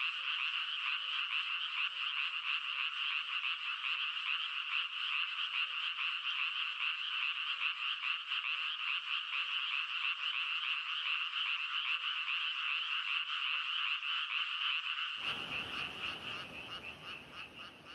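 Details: Unbroken frog chorus, many voices blending into a high, grating, pulsing drone with faint regular ticks beneath. Near the end a broad hiss suddenly joins in and the croaking fades a little.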